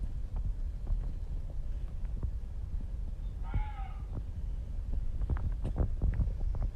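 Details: Reeves's muntjac, unseen, calling near a house on Izu Oshima, Japan: a single short, hoarse, harmonic bark midway through, heard over steady low rumbling and scattered knocks.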